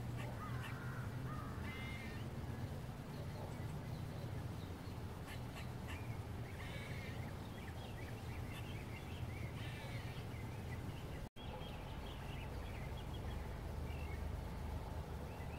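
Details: Eastern gray squirrel gives harsh, raspy barking calls over a steady low rumble, at sunset in waist-tall grass, apparently alarmed at something; a brown-headed nuthatch nearby seems to see it too.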